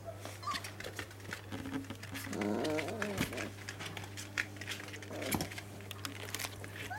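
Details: Dogo Argentino in a playful mood, giving a rough, low grumbling vocalization with whiny harmonic overtones lasting about a second, followed by a brief shorter grunt, amid indoor clicks, thumps and a steady low hum.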